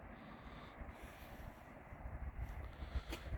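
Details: Low wind rumble and distant machine-like noise, faint and without any animal voice.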